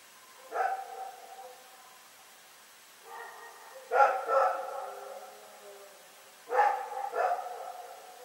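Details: Rex the dog at night in Pyrga, February 27, 2018, giving loud barks in pairs and short runs roughly every three seconds, harsh and rough-edged, with a quiet backdrop.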